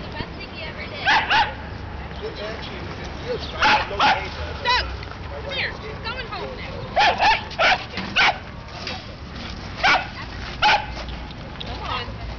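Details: Playful dogs in a midtown Manhattan dog run in New York City bark again and again in short loud bursts, sometimes in quick pairs, over constant urban background noise and faint voices.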